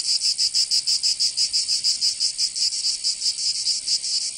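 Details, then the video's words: Summer cicada chorus in Provence, southern France: a shrill, high buzz broken into distinct throbbing pulses, roughly four per second, each swelling and fading in a regular beat. "Canto Cigarra 🦗 [ Escuchar les cigarras en verano 10 H]"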